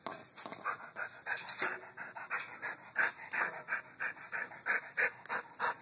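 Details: Luthor, a pit bull jokingly called ferocious, pants indoors with quick breathy huffs, roughly three per second, each a soft noisy burst rising and falling in steady rhythm, with faint handling noises behind.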